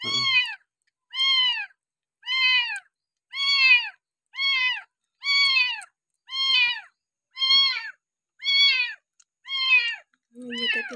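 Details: Abandoned kampung kitten cared for at home and fed milk from a bottle, day six: a steady series of eleven bright, falling meows, evenly repeated roughly once a second.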